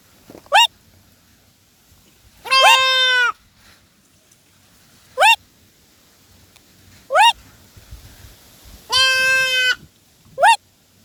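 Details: Goat calling repeatedly: two long, steady, harmonic-rich bleats mixed with four short, sharp, upward-arching squeaks spaced a couple of seconds apart, over a quiet background.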